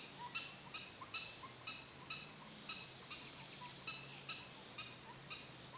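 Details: Prairie dogs at Wildpark Frankfurt/Oder in Germany, captive: a steady series of short, high, harmonic chirping barks, repeated about every half second, fairly faint over a soft background hiss.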